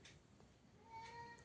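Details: Pet cat, just moved into a new house and getting up to mischief, gives one short steady meow lasting about half a second, tonal with faint overtones, over quiet indoor room noise.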